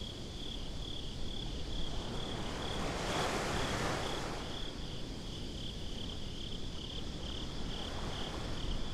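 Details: Nighttime beach crickets in binaural sound: a steady, rapid train of high-pitched chirps runs through the whole stretch while breaking waves roar in the background, loudest around the middle.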